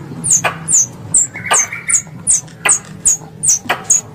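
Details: Squirrel lure calls used to attract squirrels for hunting: about nine shrill, descending squeaks, each with a crisp click, spaced roughly every half second in a steady chattering series, with soft low background rumble.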